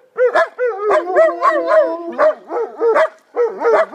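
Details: German Shepherd dogs in a chorus of short arched yelping howls, each rising then falling, repeated quickly with brief gaps between voices.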